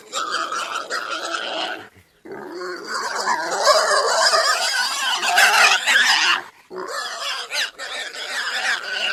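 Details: Noisy pig chorus: rough squealing and grunting voices overlap almost without pause, dense and scratchy, with a brief lull near the start and another later.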